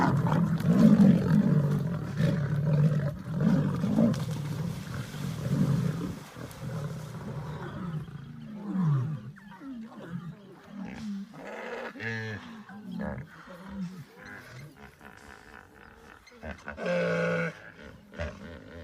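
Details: A group of lions on a bank where they have come upon a crocodile. Heavy low growling rumbles continuously for about seven seconds, then breaks into scattered shorter snarls and scuffling noises with quieter gaps.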